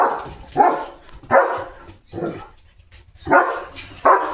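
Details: Pet German Shepherd on morning guard duty at the home gate, barking loudly at another dog passing the house; six deep, harsh barks in irregular bursts, roughly one every half second to second, with gaps between.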